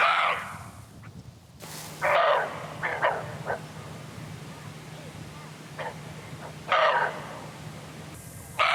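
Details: Siberian roe deer (Capreolus pygargus) on Jeju Island give harsh, dog-like alarm barks in short separate bursts over a low steady hum; this alarm call is given when the deer feels threatened and is often mistaken for a dog.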